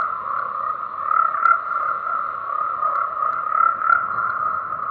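A dense chorus of tree frogs, their croaks blending into a steady, pulsing mid-pitched drone.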